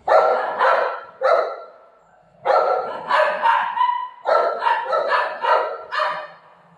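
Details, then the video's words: Buzo, a pet golden retriever, barks while playing with mom: three clusters of hoarse, quick barks in doubles and triples, separated by short pauses. "cute golden retriever dog playing with mom"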